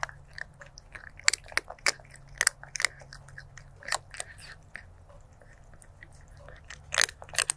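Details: Stray kitten eating, recorded on 23 January 2024 with a stereo lavalier microphone: dense bursts of sharp, dry crunches and clicks come in quick irregular clusters, some louder bites standing out, over a faint low steady hum.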